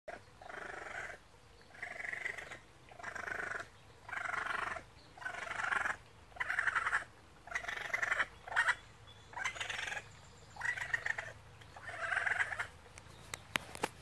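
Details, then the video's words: Very young runt raccoon along a creek, left alone after three siblings fled up a tree, complaining until the others called down to it; raspy churring bursts repeat about once a second, roughly ten in a row, over quiet background. "Baby raccoon chattering"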